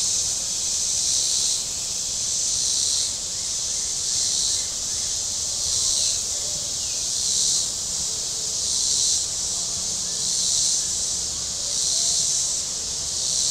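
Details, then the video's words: Cicadas calling along the shore of Table Rock Lake, southern Missouri, on a very warm Saturday, a shrill buzzing wall of sound pulsing in regular surges about every one and a half seconds, with faint chirps beneath. "Boating Lake Sounds and Cicadas"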